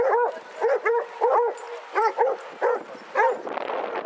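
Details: Twenty-two Basset Hounds out walking at Hazlehead Park in Aberdeen on 2 February 2014 give loud, hollow, arching bays in quick pairs and singles, ending in a burst of overlapping noise and distant talk.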